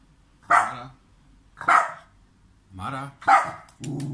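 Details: Pet dog in Serbia barks as the owner acts as if not seeing him: four forceful barks roughly one per second, followed by a lower, rougher grumbling sound at the end.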